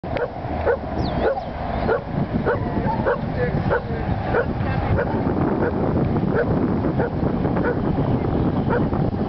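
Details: Herding sheep for the first time in Long Beach, California, a Welsh Corgi gives short barks repeated roughly every half second, partly masked by steady low rumbling wind noise.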